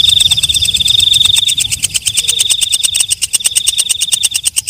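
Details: Walang kecek night grasshopper calling after dark: a high, ringing buzz at first, then fading into a loose series of crisp, rapid ticks with uneven spacing. Low muffled background hum throughout.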